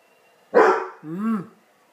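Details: Tiger, a Basset Hound, chasing an egg: one loud, harsh bark, then a shorter tonal yelp that rises and falls, with a quiet room behind.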